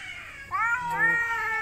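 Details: Male domestic cat rivalling others over a female in the mating season: a quiet low start, then a loud rising wail that wavers and overlaps a second lower yowl, both drawn out and tonal.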